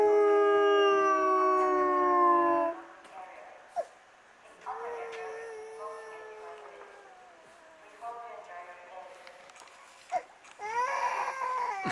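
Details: Asahiyama Zoo wolves in Hokkaido, Japan, howling after the morning announcement; a long harmonic howl falls away, followed by quieter broken wavering calls, a few sharp clicks, and a final rising burst of howling.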